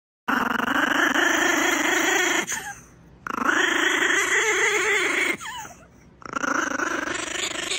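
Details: Small Brussels Griffon dog growling while being dried after a bath, indoors; three long harsh, rasping growls of about two seconds each, separated by short pauses, with a grumbling, Chewbacca-like rough tone.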